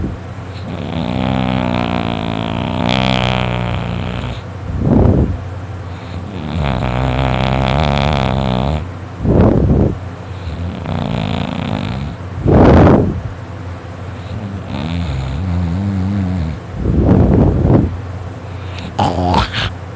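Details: Loud snoring from Dakota, a sleeping dog that dozed off about an hour earlier. Drawn-out, grating inhalations with a buzzy, throaty rattle, some lasting two to three seconds, alternate with short, puffing exhalations. A faint low hum runs throughout.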